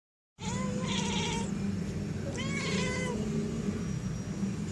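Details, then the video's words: A domestic cat mimics bird sounds to call birds, giving two bursts of high, warbling, bird-like chirps, each about a second long, over a steady low hum. "Cat copied bird sounds"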